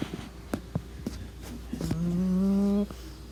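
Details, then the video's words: A sleeping pug snoring: a few soft clicking snuffles, then a sustained whistling nasal tone that rises slightly for about a second before cutting off, indoors and quiet. "SNORING PUGGIE"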